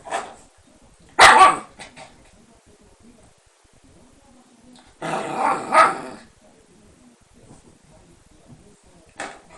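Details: Shiba Inu, described as too mischievous and kept behind lattice: two harsh barks about four seconds apart, the second a longer double burst, then a short final yap, in a quiet room.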